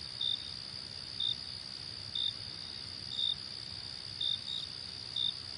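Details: Cricket sounds: brief high chirps spaced about a second apart, some doubled, above a constant ringing insect trill and low rumbling noise.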